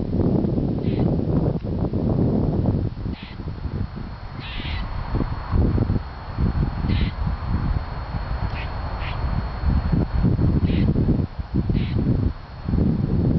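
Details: At Fresh Pond Reservation in Cambridge, Massachusetts, on a mild January 4, 2007, a complaining squirrel gives brief rasping squawks at irregular one-to-two-second gaps, recorded on a Canon S80 against heavy low background rumble.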